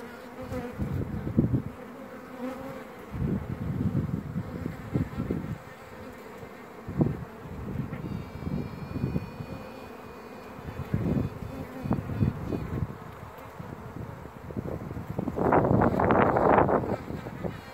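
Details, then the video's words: Virgin queen honey bee singing amid a colony's constant droning hum: irregular buzzy pulses repeat through the recording, a thin high whine appears briefly near the middle, and a strong swelling burst arrives near the end. "Chant reine vierge"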